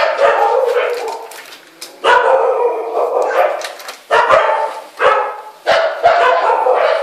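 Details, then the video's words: A scared Samoyed mix gives loud, harsh barks and drawn-out howling yowls, each outburst starting abruptly then trailing off, repeated about every one to two seconds. "Scared Samoyed mix =("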